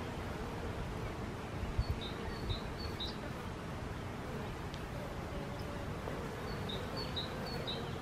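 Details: Honey bees give a low, steady droning hum beneath broad outdoor background noise, while a bird adds two short runs of high, thin chirps early and late.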